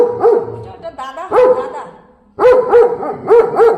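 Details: German Shepherd dog barking as a warning while guarding like a bodyguard: one loud bark, a softer pair, then after a pause four sharp, evenly spaced barks.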